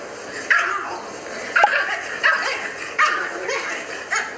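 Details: Two pugs reacting to videos of themselves as puppies; short sharp yips and barks repeated about every second, each a brief bright burst, over a steady hum of background noise.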